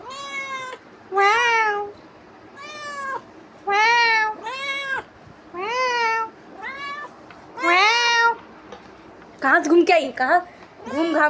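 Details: House cat pestering its owner after roaming, about eleven insistent meows, some short and falling, others drawn out, with a woman's voice talking over the last few calls.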